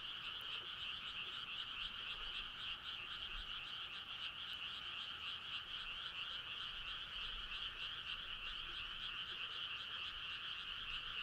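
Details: Frog chorus on a midsummer night: a dense, unbroken wall of rapid pulsed trilling from many frogs, two bright overlapping bands held steady throughout, fairly distant and even in loudness.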